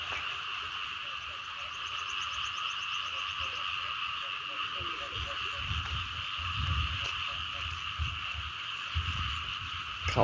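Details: Chorus of small frogs and larger frogs along flooded rice fields the morning after overnight rain: a steady, ringing wall of trilled calls from many animals, with scattered clicks, low rumbles from walking, and a sharp knock at the end.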